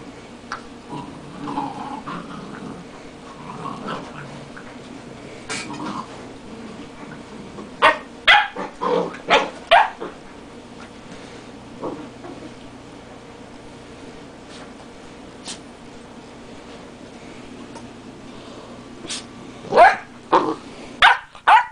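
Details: Two dogs squabbling over each other's dog biscuits: low rumbling growls early on, then a burst of sharp, closely spaced barks in the middle, a few scattered yips, and another quick cluster of barks at the end.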